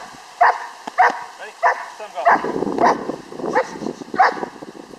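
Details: Six-month-old Czech German Shepherd during bite work training, giving sharp barks roughly every half to one second, mixed with a handler's voice and scuffling noise.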